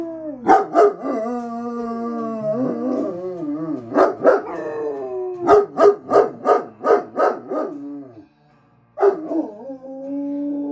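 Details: Two German Shepherds howl along to a favourite song, Ophelia by the Lumineers, in long wavering tones broken by a quick run of sharp yips and barks.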